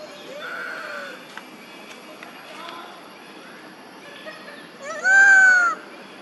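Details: Crying call of a monkey mother searching for her baby. After several seconds of faint, scattered background noises, one loud, clear, tonal wail arrives near the end, lasting under a second and gently falling in pitch.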